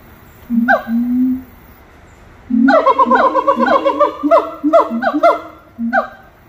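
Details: Song of monkeys at Little Rock Zoo, opening with two low drawn-out hoots, then a fast rising burst of rapid, swooping whoops that tumble over each other before trailing off into single calls.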